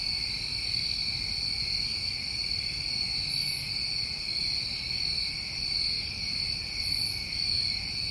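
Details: Summer night in New England with crickets trilling in a constant high, pulsing drone, two stacked pitch bands, occasional very high chirps, and a soft low background hum.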